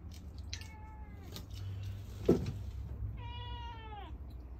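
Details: Cat that has already eaten keeps meowing for more food: two clear, drawn-out meows, the second longer and bending down at the end, with a low hum and a single knock between them.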